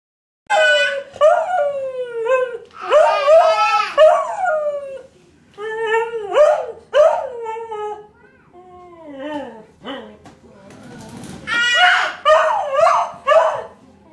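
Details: Dog howling in response to a baby yelling; wavering, harmonic-rich howls rise and fall in long bouts, alternating with the baby's sharp cries, with brief pauses between exchanges.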